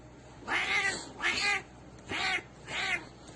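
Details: Domestic cat from a Turkish compilation of funny "talking" cats gives four drawn-out meows in quick succession, each bright and tonal with rich harmonics, spaced under a second apart, over a quiet indoor background.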